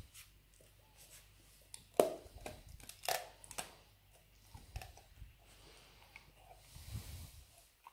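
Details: Labrador Retriever Nero, a pet dog, busy with a dried beef rawhide bone, making loud crunching bites and tearing sounds, the strongest snaps near two and three seconds, then softer gnawing in a small quiet room.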